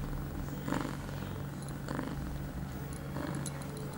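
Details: Female cat Pia, eight months old and on heat, recorded 23 September 2011 two hours after a first birth control pill; soft pulsing purr rises in three broad swells, with faint high ticking sounds indoors.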